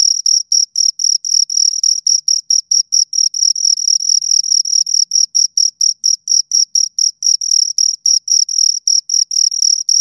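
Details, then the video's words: Pair of crickets stridulating in a steady, shrill pulsing chirp, bursts tumbling out roughly four per second for ten seconds, some merging into longer trills, over a completely quiet background. "Two Crickets Chirp Sounds"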